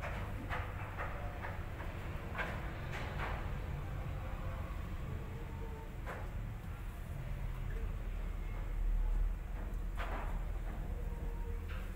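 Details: A steady low rumble with scattered knocks and faint voices, and no clear animal sound.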